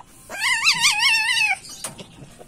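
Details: Male civet in heat calling during mating season: a single bright, quavering squeal of about a second, with a rapid vibrato, followed by a soft click and quiet shuffling.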